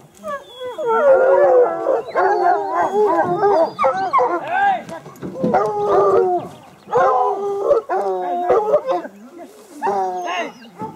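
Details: A pack of hounds howling and baying together: many overlapping, wavering tonal voices in repeated bursts, each lasting one to two seconds, with short pauses between them.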